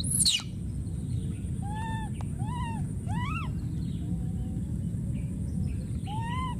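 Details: A wild infant monkey calls for his friend with one shrill descending scream, then a string of soft, tonal, rising-and-falling coos in short bursts, set against a constant low rumble.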